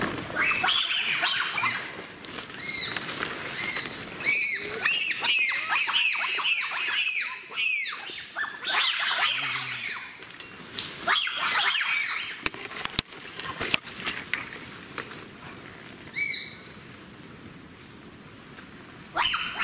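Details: Wild African bonobos, frightened by wild boars, scramble up trees and keep up alarm calling for minutes. Dense overlapping high-pitched shrieks and barking squeals from several animals fill the first half, then thin out into sparse calls and crackling rustles.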